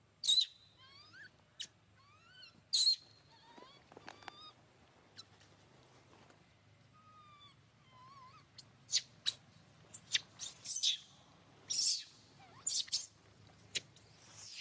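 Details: Young monkey crying and making noise for milk: a series of brief high whining cries with upward and downward sweeps early on, then a long run of sharp broadband snapping and scuffling bursts.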